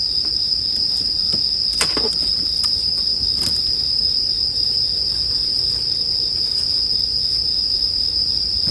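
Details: Continuous high-pitched ringing of bell crickets, unbroken throughout, blended with the snaps and pops of a crackling bonfire, several bursts clustered near the second and third seconds.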